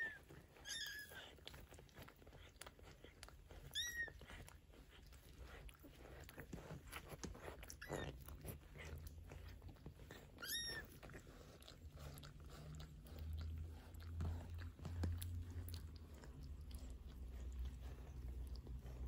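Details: Maine Coon mother cat Geza with her 15-day-old kittens indoors, talking to them: four short, high, thin mews, each rising then falling, spaced about three seconds apart, over a steady background of rustling and soft chewing sounds.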